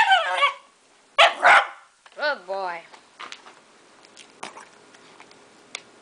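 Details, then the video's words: Enzo, a pet dog, barks on the command "speak" indoors near a couch: one noisy bark, then a quick double bark, while a person gives commands and praises him between barks. "Enzo speaking"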